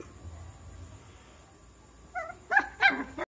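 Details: Shih Tzu puppy: after quiet room noise, a short tonal whine leads into two sharp, high-pitched yapping barks about a third of a second apart, then a brief final yip.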